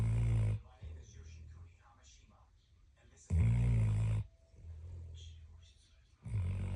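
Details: Dog snoring in its sleep: three heavy, buzzing, low-pitched snorts spaced about three seconds apart, the second followed by a long, softer grumbling breath out, with faint rustles between.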